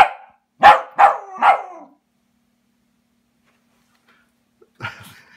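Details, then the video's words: Welsh Terrier attacking a felted robin Christmas ornament, giving three quick harsh barks in a row, then silence and a short scuffling sound near the end. "Welsh Terrier Takedown #2: Dog v Christmas Ornament"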